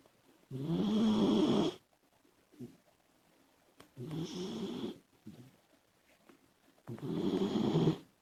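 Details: Sleeping Labrador Retriever puppy named Komachi, a female pet dog, snoring noisily: three long, rattling, throaty snores roughly every three seconds, each about a second long, with softer breathing sounds between them indoors.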